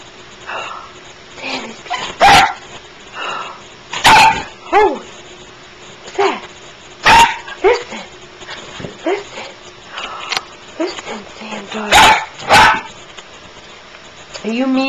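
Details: A female dog living at a junkyard, barking in short sharp bursts with some higher yips, spaced irregularly, while a woman talks to her in an excited voice.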